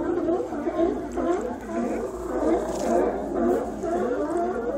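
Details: Autumn sea lions at Cowichan Bay, Vancouver Island, drawn by migrating salmon, in a serenade that often runs through the night. A dense wash of overlapping warbling, throaty calls pulses continuously.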